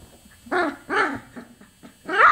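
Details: Chocolate Labrador Retriever puppies, 24 days old, give four or five short whining yelps. Each is a bent, harmonic cry that rises then falls, spaced about half a second apart, and the last is louder and higher.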